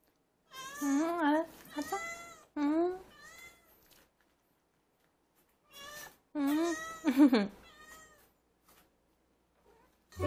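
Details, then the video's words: Former stray cat leading its owner to the feeding spot when hungry, giving long drawn-out wavering meows, two close together, a pause, then two more, the last rising sharply, with a brief word spoken at the end. "밥달라고 데리고 가는 고양이"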